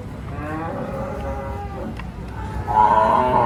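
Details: Cattle unloaded from the first truck to arrive, a lively scene: a long, low, droning moo with stacked harmonics that swells louder near the end, over steady background rumble.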